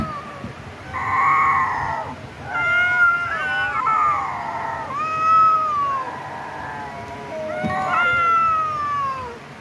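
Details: Pet cat producing a string of about five separate meows, each a clear tonal cry that bends downward, spaced roughly two seconds apart, against a quiet background.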